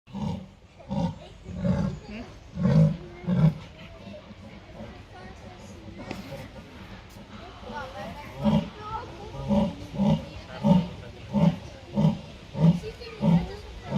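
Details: Captive jaguar at Artis zoo; a series of deep, rasping grunts repeated roughly every two-thirds of a second in two bursts, the second longer and steadier, with people talking quietly in between.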